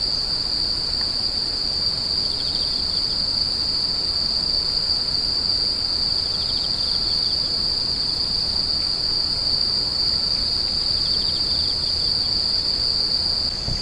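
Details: Continuous shrill insect chorus, a single piercing tone sustained without pause, with brief faint pulsed trills below it and even background noise.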